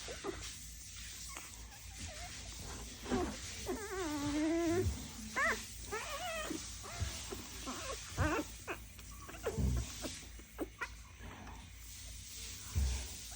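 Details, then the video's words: Dalmatian puppies making noise indoors: wavering, high whines and yelps with bent, sliding pitch, clustered in the middle of the recording, over a steady background hiss and occasional low thumps. "Dalmatian Puppy’s are making noise"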